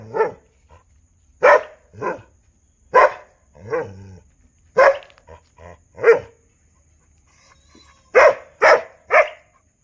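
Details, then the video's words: Barking dogs, with loud, harsh barks spaced irregularly a second or so apart, a few softer muffled woofs between them, and a closing burst of three rapid barks. "भौंकने वाले कुत्ते"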